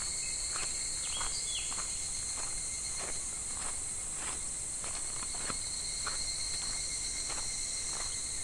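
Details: Cicadas calling in July midsummer beside a shallow, slow-flowing clear stream: a steady, high, hissing drone that never pauses, overlaid with faint irregular clicks and light splashing.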